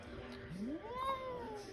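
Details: Domestic cat in a closet that wants to be left alone gives one drawn-out meow, rising steeply, then holding and slowly falling over about a second, with quiet room noise and a person's voice nearby.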